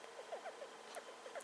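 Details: Short, faint squeaks from Star, a pet female hamster aged a little over two, made while she is sniffing about; brief chirps come every fraction of a second, many sliding slightly downward, over a steady hum from the room.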